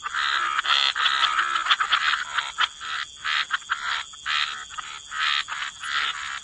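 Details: Gentle wetland chorus of croaking frogs, rasping buzzy notes in clustered bursts about once a second, several callers overlapping, a faint steady high tone in the background.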